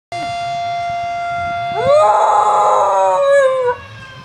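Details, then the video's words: Puppy named Missy howling along with a fire siren, reacting as if something is wrong. A steady wailing siren tone runs throughout, joined by a rising, then slowly falling, howl that swells for about two seconds before fading. "Missy howling at the Siren"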